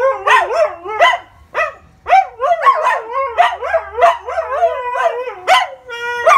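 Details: Siberian Huskies chatting with each other in their daily talk: a quick run of short, rising-and-falling woo-woo yowls and barky yelps, about two per second, ending on a held tone; faint low hum beneath.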